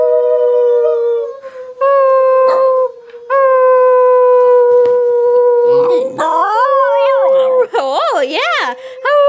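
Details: Ten-month-old female basenji puppy howling for attention, jealous and squirming on her owner's lap indoors: long, steady, tonal howls held for seconds, then wavering, yodel-like rising and falling notes near the end, with the owner talking softly over her.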